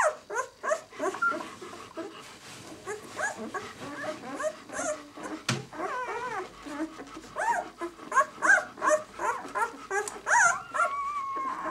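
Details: Six-day-old White German Shepherd puppies from the B litter of the kennel "of White Night", several pups squeaking and whimpering together in quick overlapping bursts, short rising and falling squeals with occasional sharp clicks and knocks.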